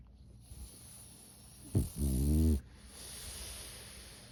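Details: Pug asleep, giving a short snort then a deep rattling snore of about half a second, low and buzzy with stacked harmonics, between stretches of soft breathing over a steady faint high-pitched hiss.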